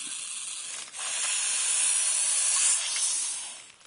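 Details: Harmless eastern hognose snake from the northeastern United States playing dead. A long, airy hiss swells after the first second, holds steady, then fades toward the end.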